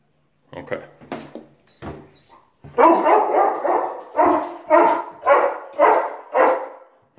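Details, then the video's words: German Shepherd named Rocko, indoors, objecting as its owner leaves for work: after a few brief spoken words, loud harmonic yowling, moaning bursts follow one another about twice a second, rising and falling in a talking-like pattern. "Rocko The German Shepherd Says: Please Don't Leave Me!"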